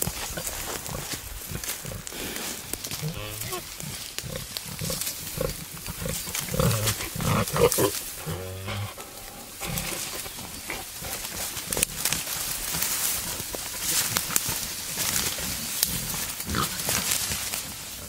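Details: Wild boar, a male courting a sow in the wild: rough low grunts and snorts come in uneven bursts, some with a tonal edge, over a steady hiss of background noise.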